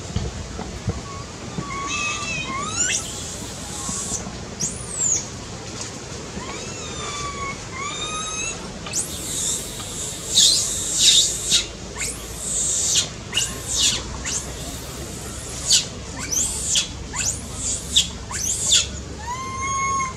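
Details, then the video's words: Loud distressed crying of a baby monkey wanting its mother: rapid bursts of high shrieking squeals that sweep up and down, mixed with longer whistled wails, clustered densely in the middle and end, over a low background rumble. "Baby monkey cries loudly seizure need mom take care."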